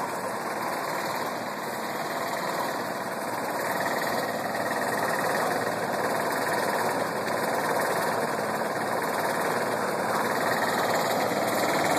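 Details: Steady engine rumble with vibration and broadband mechanical noise, no animal heard.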